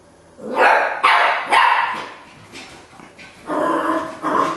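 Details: Keeshond giving loud, rough barks in uneven bursts, three close together at the start, a quieter stretch, then two more barks near the end.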